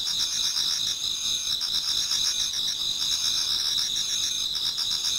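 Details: Many autumn insects singing toward dawn in a Japanese garden: dense, continuous high-pitched trilling chorus with bright steady bands and faint pulsing, overlapping callers without pause.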